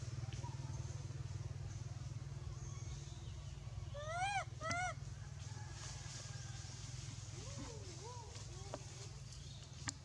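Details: Young monkey Astra, separated from its mother and troop, crying loudly: a pair of harmonic rising-falling wails near the middle, then softer arched cries toward the end, over a steady low engine hum.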